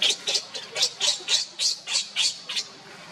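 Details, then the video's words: Baby monkey Leo crying and screaming loudly to call its mother Libby: a rapid run of about ten shrill, high-pitched squeals, roughly three each second, each short burst sharp and piercing over a quiet background. "cute baby monkey Leo crying and screaming loudly to call mommy monkey Libby"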